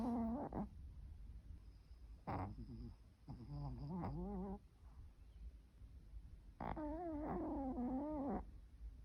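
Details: A sleeping dog snoring with eerie, haunted-house-like moans: four separate groaning snores, each a wobbling, tonal whine of one to two seconds, spaced by quiet breaths.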